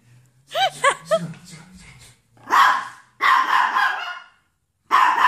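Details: Pet Chihuahua confronting a Hubson X4 quadcopter. A person speaks briefly first. Then come a short bark, a longer harsh drawn-out bark, and another bark cut off at the end.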